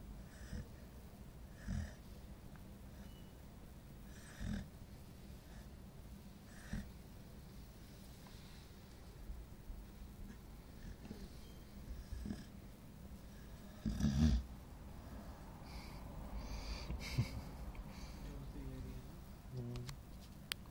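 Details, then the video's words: Tired nine-month-old female Golden Retriever asleep, giving soft, brief snoring breaths roughly every two to three seconds at first, then irregular snorts and wheezy sighs, with a louder rasping snort near the middle over faint background noise. "the snoring golden retriever"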